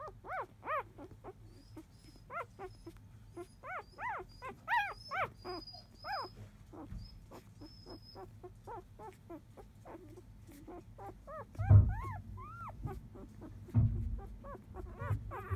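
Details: Napping four-day-old Labrador Retriever puppies of field type, whose mother biscuit was 2017 JFA grand champion. Continuous high, bending squeals and whines tumble over one another, with two louder thumps near the end and a faint high tone early on.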